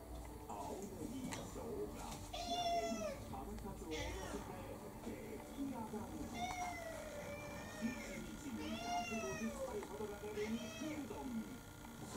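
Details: About five sharp, high meows scattered through the stretch come from Kurumi, an orange tabby mixed-breed cat near four years old, insistently asking for her evening meal, a person's voice heard in the background.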